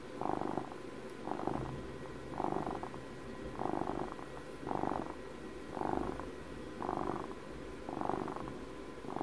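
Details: Domestic cat aged twelve purring contentedly near the microphone for ASMR, a buzzing rumble pulsing about once per second with quieter gaps between breaths and a low steady hum underneath.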